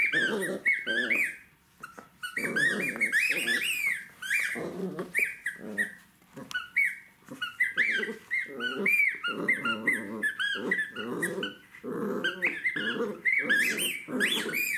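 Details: Indoors, a Jack Russell Terrier puppy tussles with toys, giving long stretches of gritty growling laced with high squeals and squeaks, broken by brief gaps every few seconds.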